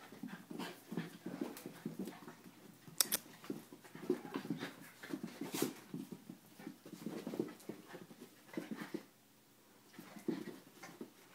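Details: Schnauzer and Italian greyhound wrestling indoors, with dense bursts of low panting, snuffling and grumbling growls throughout, a few sharp clicks, and a brief lull near the end.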